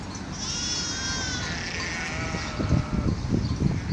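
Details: Sheep on Mallorca in April 2018 bleat in overlapping high, quavering calls, one sliding downward, with rustling and thumping noises and a low rumble beneath.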